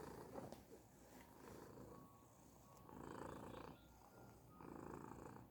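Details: Purring Persian cat: continuous low, grainy rumble pulsing in broad swells roughly every one to two seconds, with thin faint tones drifting above and a soft click at the start.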